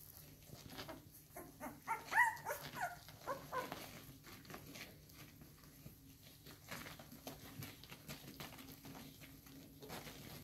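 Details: Twelve-day-old Samoyed puppies of the A litter nursing from their mother indoors; a brief burst of high squeaky whimpers around the second second, then soft scattered smacking and rustling over a steady low hum.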